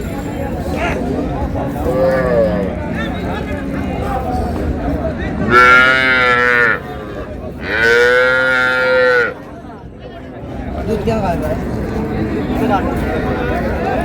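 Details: Cows with calves at Raniganj cattle market in Dinajpur, recorded on July 2, 2026: two loud, drawn-out moos, each lasting over a second, stand out above busy market chatter and shouting.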